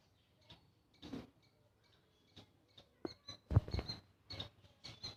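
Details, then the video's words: A small squirrel making loud noises: sharp, scratchy chirps and clicks in irregular bursts, some with a thin high whistle on top, the loudest cluster near the middle, with quiet gaps between. "A small squirrel making loud noises."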